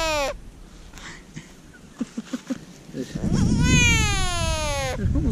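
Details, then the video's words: American bullfrog, hand-caught and later released, screams. A short falling wail comes first, then a longer, harmonic-rich, nasal scream that falls slightly and lasts over a second. A few soft taps sound in between. "Screaming bullfrog"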